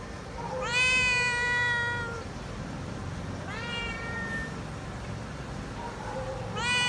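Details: Feral cat meowing while waiting for food and still wary of people: three long, loud, harmonic meows, each rising then slowly falling, at about one, four and six and a half seconds, over low background hum.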